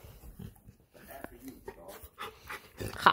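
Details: Golden Retriever crying indoors because it wants to go for a walk; short, uneven whimpering cries and snuffles come in bursts, with a person talking nearby and a louder, higher whine at the end.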